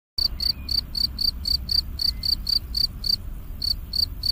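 An insect sings in steady, high, shrill pulses, about four each second, over a low background rumble.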